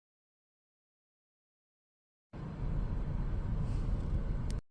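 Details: Silence gives way to the steady low rumble of passing road traffic outdoors, ending abruptly, with no animal calls.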